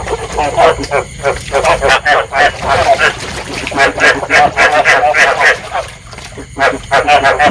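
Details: Chorus of field frogs, the calling played to stimulate breeding and draw frogs into traps; quick, rough croaking notes pulse in bursts, with a brief lull near the sixth second before resuming.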